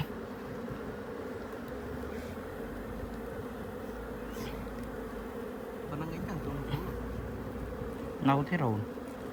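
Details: Continuous low hum of a swarm of wild honey bees inside a hollow tree in Cambodia while people break open the nest for honey; near the end, a man's voice cuts in briefly over the buzz.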